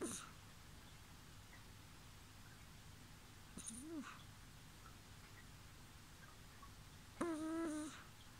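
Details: Bibi, a pet kitten, snoring in her sleep indoors with a squeaky 'poo-poo' sound likened to farting: a short arched tonal squeak, then about four seconds later a longer buzzy harmonic-rich note, with a quiet room hum beneath.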